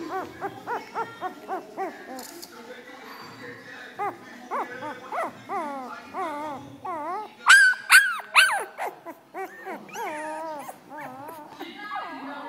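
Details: Several puppies whimpering and yelping: rapid runs of short squeaky whines with wavering pitch, then sharper, louder high yelps midway, with a human voice faintly in the background.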